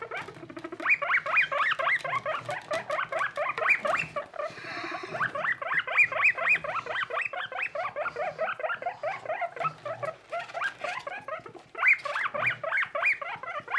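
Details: Baby skinny guinea pig, Boniface, a pet living with Pushok: dense string of quick upward-slurred squeals, a brief break filled with rustling after four seconds, then the squeaking continues to the end.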